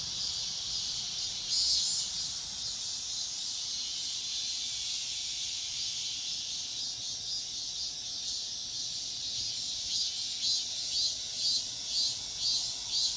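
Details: Cicadas calling at dawn as an unbroken high sizzling drone, its pulsing swells faint at first and growing clearer and more regular toward the end.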